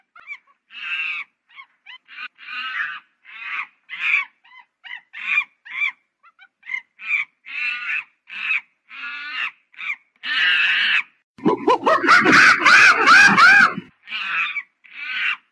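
A monkey calls over and over, each note brief, reedy and slightly honking, coming about two or three times a second. Near the end a louder, rough, crackling outburst briefly covers the calls before the chatter resumes.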